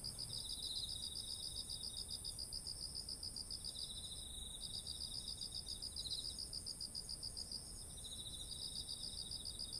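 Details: Autumn insects beside ripened rice: bursts of rapid pulsed chirping lasting two to four seconds, separated by short breaks, over a steady high insect whine and soft low background noise.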